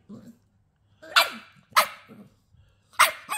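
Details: Young female Staffy pup, twelve weeks old, defiantly having the final say during a scolding: three bright, piercing barks spaced about a second apart, with soft low grumbles between and a woman's scolding voice.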